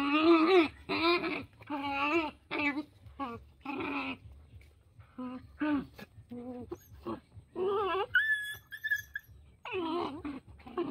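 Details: Puppies at playtime with a dog: a run of short whining yelps with wavering, bending pitch comes in quick bursts, then a few higher squeals and a final drawn-out whine.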